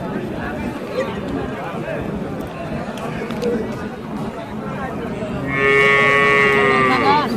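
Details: Dairy cows with calves at Choubaria cattle market, Manda upazila, Naogaon district, recorded 9 November 2018; a long harmonic moo rises from the busy crowd noise late in the clip, over steady market chatter.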